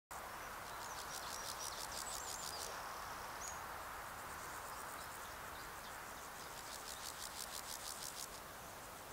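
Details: On 15 July 2019 in the Sierra de Gredos, a longwinged male meadow grasshopper (Pseudochorthippus parallelus erythropus) gives its calling song: short, dry rasping bursts of rapid ticks over a steady background hiss. Meadow Grasshopper.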